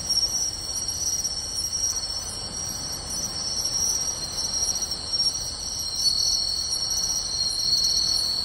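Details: Many singing insects, including pine and bell crickets, fill a beachside meadow at Tainai, Japan on the night of 24 August 2020, a dense ringing high-pitched wall of trills with light rhythmic clicks above it.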